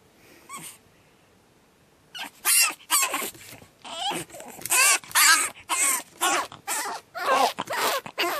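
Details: Pug puppy Batman, second night, a faint whimper then a sudden burst of harsh, raspy screams with wobbling pitch, repeated in quick succession without letup.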